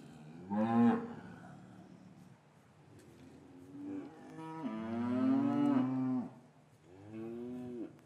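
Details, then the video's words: Cattle in an English yard on a winter's afternoon, calves apart from their mothers, recorded on paired Rode M5 microphones: a short moo, then a long, sustained bellowing low lasting over a second, and a third shorter call to close. "4K Cattle Yard - One Hour Ambient Sound and Video"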